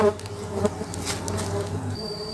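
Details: Cultivated stingless bees, Laeviceps and a home-bred Biroi x Laeviceps hybrid, buzz from opened hive boxes during a honey harvest: a steady low droning hum with layered harmonics, a faint high whine entering near the end.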